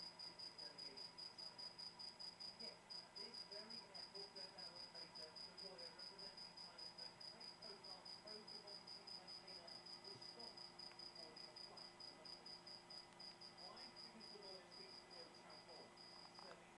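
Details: Cricket giving a continuous run of shrill, high chirps, evenly pulsed at roughly two and a half per second throughout, with a soft low background hum.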